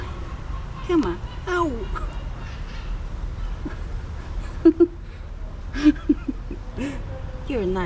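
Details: Female calico cat reacting to a person who smells of another cat, wary before smacking; several short wavering meows, some rising then falling, scattered between a person's soft coaxing speech.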